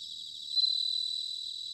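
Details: Autumn bell cricket song recorded at Sanuki in Chiba, Japan: a bright, high, bell-like ringing tone rises sharply out of a continuous shimmering insect chorus, then gradually fades.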